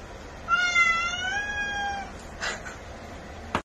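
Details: Calico cat meowing in a drawn-out, wavering cry of about one and a half seconds, pitch dipping midway, followed by faint handling noises and a sharp click.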